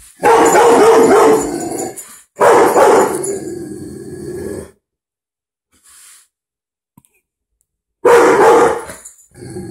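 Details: A house dog named Butler reacts to a dog shown on TV with loud, harsh, rapid barking in long bursts of about two seconds, separated by a few seconds of near silence before a final volley.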